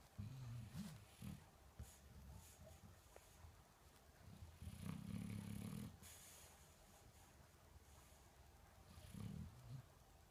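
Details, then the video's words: Rico the Shar Pei sleeps while the household's children are also asleep. Deep, throaty snores come in three bursts, at the start, mid-clip and near the end, separated by quieter breathing and soft background rustles. "Rico the sharpei snoring"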